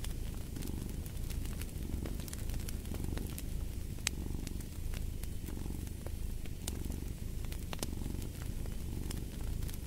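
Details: Continuous low purring from a cat, its deep vibrating hum pulsing with each breath, accompanied by frequent crackling and popping of a fire in a fireplace.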